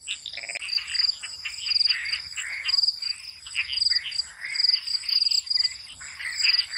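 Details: Frogs calling at night in a swamp: a dense chorus of rough, pulsing croaks in bursts about once a second, over steady high crickets trilling throughout.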